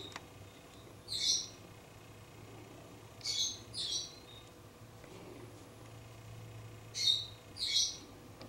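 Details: Young fox on a front porch, close by, uttering high, scratchy squeaks mostly in pairs, spaced a few seconds apart over a quiet background with a low constant hum.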